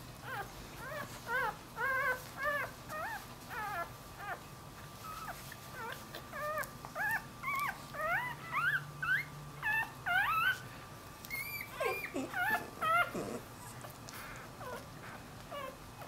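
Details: Newborn puppy, a Dachshund crossed with a Jack Russell Terrier, away from its mother and whimpering for her: thin upswept whines repeated about twice per second in a steady series, then a few lower, drawn-out cries, over a constant electrical hum.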